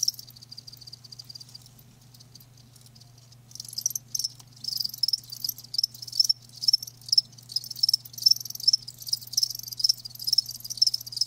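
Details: Live crickets chirping, starting sparse and quiet for a few seconds, then building into a dense run of high, rapid pulsed chirps, about two per second, over a faint low hum.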